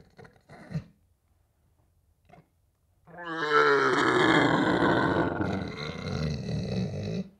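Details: A deer in the wild grunts, giving a deep, harsh, drawn-out bellow after a few soft knocks.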